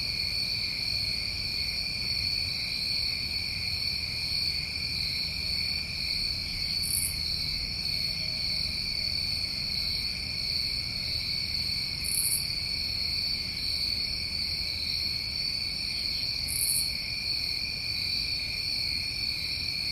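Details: Long stretch of continuous New England summertime cricket trilling, high steady tones in several bands, punctuated by three short very high buzzy bursts spaced about five seconds apart.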